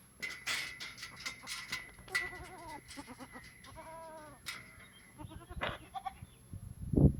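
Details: Goats on a farm giving short, quavering bleats amid clattering and knocking noises, with a sharp thump at the end.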